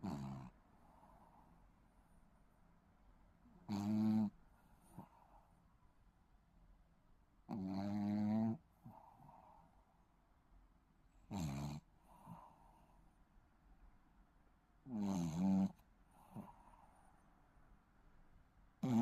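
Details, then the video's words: A baby Shih Tzu snores in its sleep, giving six low, grating snorts spaced about every three to four seconds, with soft breaths heard in the pauses. "시츄 코골이 아가"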